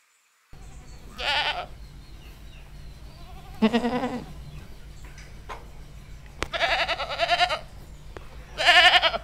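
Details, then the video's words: A farm goat gives four quavering, nasal bleats spaced a couple of seconds apart, the later ones longer, over a steady low hum. "animal sounds : chicken, duck, sheep, goat, cow"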